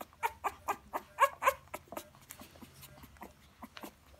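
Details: Seventeen-day-old Rottweiler puppies in Idukki whimper in quick, squeaky bursts, several per second.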